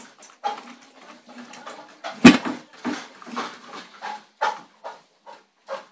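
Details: An Alaskan Malamute at feeding time gives a run of short, moaning, talkative vocal bursts with one sharp bark.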